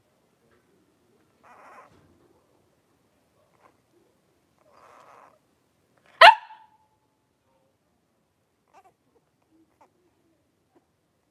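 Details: Three-week-old blenheim Cavalier King Charles Spaniel puppies, a litter of five born at New Year's, wrestling and playing in their pen: soft scattered grunts and snuffles, then one sharp, bright yelp midway, followed by near quiet.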